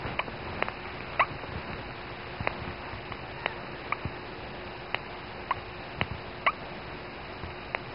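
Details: A newborn female dachshund puppy, her mother's very first pup, gives her first few thin, brief squeaks and cries among soft clicks and rustles; recorded 16.01.10.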